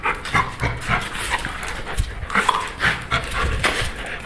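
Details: Pit bull breathing hard in irregular, noisy huffs and pants while playing, with a man's voice calmly repeating Portuguese commands to hand over and release.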